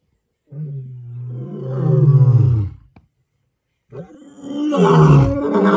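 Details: Lion roaring: a deep, swelling roar that builds in loudness and breaks off after about two seconds, then after a silent gap a second harsh, rasping roar begins.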